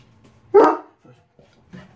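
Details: A single short, loud bark from one of two dogs, an Irish Wolfhound and a Chocolate Lab, during morning time on November 20, 2016, followed by quiet and faint low sounds.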